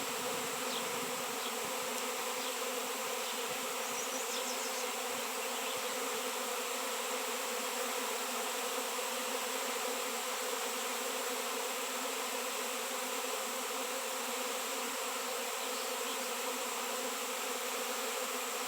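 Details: Swarming honey bees crowd around a raw 7 lb chunk of shungite where none had appeared for years; a constant, buzzy multi-toned drone holds steady throughout, with faint high chirps scattered early on.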